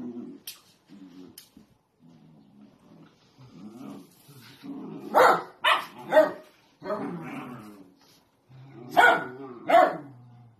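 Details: Sausage dog growling low and rumbling, breaking into short bursts of harsh, loud barks, two pairs of yaps standing out near the end, with faint human voices behind.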